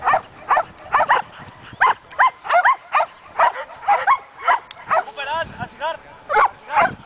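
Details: Cooper, a one-year-old Belgian Malinois, barking in guard and protection training: quick sharp barks in bursts, mixed with higher whining yelps and a person's voice in the middle.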